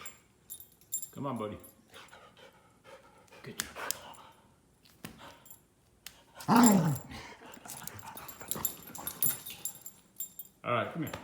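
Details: Wheaten Terrier in Florida makes short whining, yelping vocal bursts, one louder cry near the middle, mixed with a person talking nearby.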